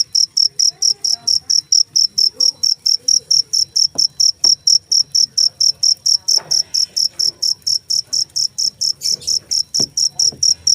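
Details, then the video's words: Steady, piercing cricket chirps repeat rapidly and evenly, around four per second, with a few faint knocks and clicks in the background. "suara jangkrik"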